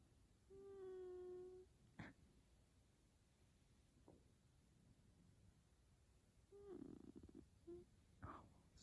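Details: F2 Savannah cat Taj, sleeping while petted indoors, makes a smooth one-second tonal murmur, then a pause with clicks, then a breathy wavering trill and a short chirp near the end.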